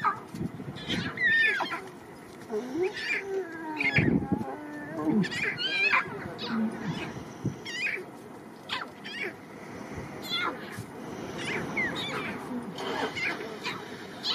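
A lion cub gives short, whining mews and grunts to its mother, with voices and clatter behind.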